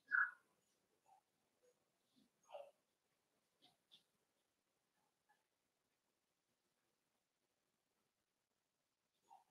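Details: Cavalier King Charles Spaniel puppies indoors in a puppy pen, socializing with big dogs: short whimpers and yelps scattered across the stretch, one loud cry at the start, then quiet gaps with a few soft squeaks.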